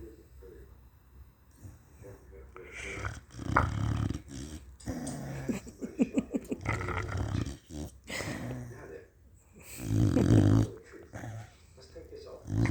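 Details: Pet dog asleep and snoring away: rough, rumbling snores in irregular bursts, some with a rapid fluttering rattle, and the loudest, breathiest snore coming late in the recording.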